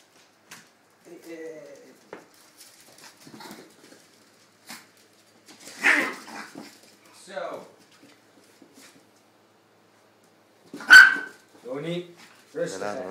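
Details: Playful roughhousing between Tony, a two-year-old Chihuahua, and Dexter, an eight-week-old English Staffordshire pup: scattered low growls and grumbles, whiny yips, then a loud high bark near the end followed by more growling, with a few faint human voice sounds.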